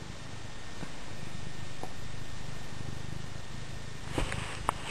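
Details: Female house cat Scruff purrs contentedly as she is petted, a low even rumble of rapid pulses, with a couple of faint clicks and rustles near the end.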